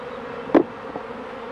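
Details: Brief stretch of honey bee hive buzzing, an unbroken low hum with one sharp knock or tap near the middle as a beekeeper works the hives.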